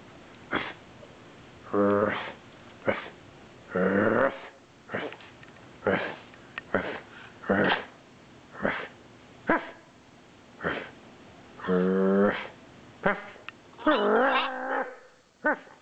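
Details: Male Norwich terrier, just woken from a nap and missing his owner, gives drawn-out tonal whines and yelps near 2, 4, 12 and 14 seconds, separated by short sharp yaps at roughly one-second intervals.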